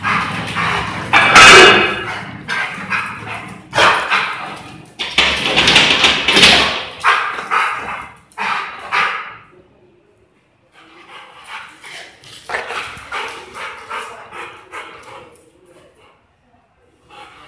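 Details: A 1.5-year-old Rottweiler, aggressive with strangers, tries to scare away a delivery man approaching the house; loud, dense bursts of barking in the first half give way to quieter, scattered barks after a short pause.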